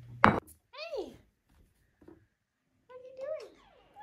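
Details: Tink, a five-month-old female Maine Coon kitten, answers a person offering food with two drawn-out meows, each swooping up then down, separated by a pause, after a sharp thunk, in a quiet small room.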